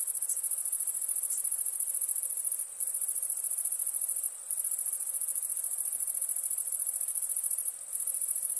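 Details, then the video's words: Chirping crickets at night produce an unbroken, piercing high-pitched trill of rapid pulses, interrupted by three brief gaps over several seconds, with no other clear sounds. "Relaxing Chirping Crickets for Sleep Therapy, Meditation and Study"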